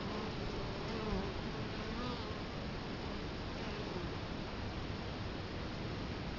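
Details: Steady low droning of many Italian honey bees crowding the hive entrance, Colorado Springs, October 2011, with the camera close to the hive. Wavering buzz tones drift in and out of a thick background hum.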